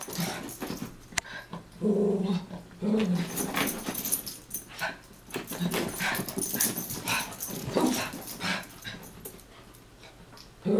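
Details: Chihuahuas Taco and Santi wrestling and chasing each other: short throaty growls in bursts, mixed with huffing breaths, yips and constant scuffling of paws on the floor.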